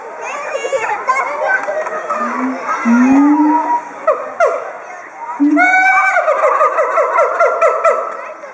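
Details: Siamangs at Chiba Zoological Park, 18 October 2013, calling excitedly as a territorial threat, reportedly often triggered by children's and women's voices. Shouting schoolchildren dominate at first, then rising whoops and a quick series of barking notes take over.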